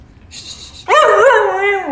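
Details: Talking dog voices a long, wavering, moaning howl that bends up and then falls away, following a faint hiss, while its owner coaxes it indoors.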